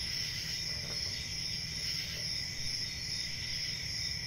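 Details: Night-time crickets trilling in a thick, unbroken high ringing chorus, with soft rapid pulsing and a low background hum beneath.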